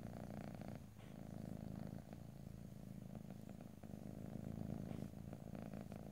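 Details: Low, continuous purr from a pet cat, a rapid buzzing pulse with brief dips in loudness near the first and second seconds, recorded ear to ear without speech.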